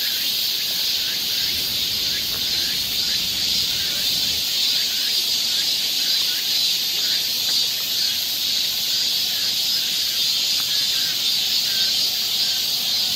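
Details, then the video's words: Along a Seoul forest trail in Korean summer, cicadas keep up an unbroken shrill hiss, while brief faint chirps from other callers appear underneath. "cicada sound"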